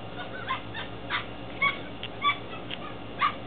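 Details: Belgian Malinois Shepherd pups aged ten weeks, Williston, Florida, April 2015. Sparse thin whimpers and short squeaky yips sound about once a second against a constant low hum.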